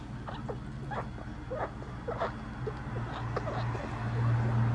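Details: A little pet rat named Bippo chewing a hard-boiled quail egg gives quick, faint squeaks and bips in an irregular string, with soft eating noises and a steady low background hum.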